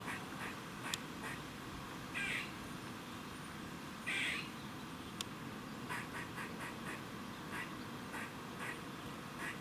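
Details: Squirrel giving a warning noise in Cambridge, UK, on 27 September 2019 at 3:16 pm: two short harsh, quacking rasps about two seconds apart over faint rapid ticking and steady background hum.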